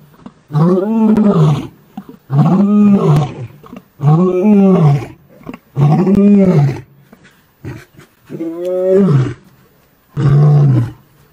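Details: Big male lion chased from his territory by younger lions, giving six long, drawn-out moaning roars with an arching tone, one roughly every two seconds, in a quiet outdoor setting.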